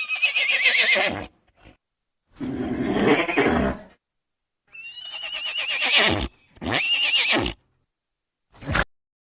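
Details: Horse giving repeated neighs and snorts: a quavering whinny, a rough breathy blow, then two high trembling whinnies and a short final snort, spaced by brief pauses.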